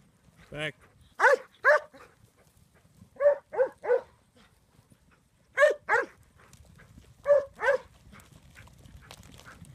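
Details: Syd, a Huntaway aged 15 months, told "sit sit": short sharp barks in pairs and triplets separated by pauses of one to two seconds, with a quiet background hiss.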